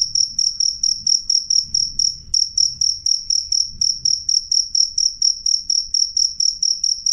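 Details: Cricket with a loud, clear voice: high, shrill chirps repeated steadily about three times a second, each a short pulsed burst with a bright ringing tone, over a faint low background rumble.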